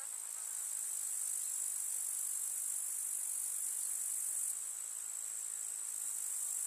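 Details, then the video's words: Summer meadow grasshoppers in a village setting make a continuous high, hissing trill, many insects blending into one unbroken shimmering wall of sound that holds nearly level throughout. "КУЗНЕЧИКИ. Слушать звуки летнего луга"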